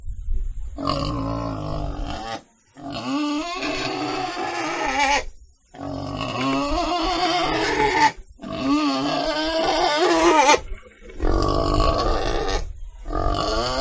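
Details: A pig screams in repeated long, wavering squeals, five bouts of one to two seconds each, harsh and tonal with trembling pitch, broken by short silences.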